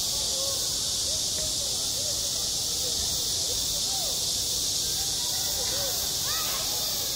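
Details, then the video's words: At a school playground in high summer, cicadas keep up a constant shrill droning chorus, while faint short curved tones come and go quietly underneath. "한 여름 운동장에서 매미가 울고 있다 - 여름의 소리, 학교 종소리, 매미 울음소리"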